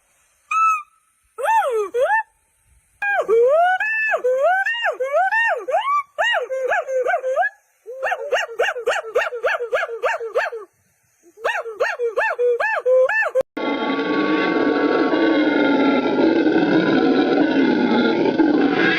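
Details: Primate calls from a mix of different primates: bursts of harmonic, arching rise-and-fall cries in quick series, some in rapid regular trains, with short silences between, then an abrupt switch to loud broadband noise for the final five seconds.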